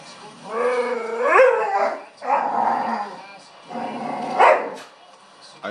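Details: Pet female dog vocalising to get another dog's attention indoors: long wavering howl-like moans in three drawn-out bursts, pitch sliding upward, with a woman speaking to her in between.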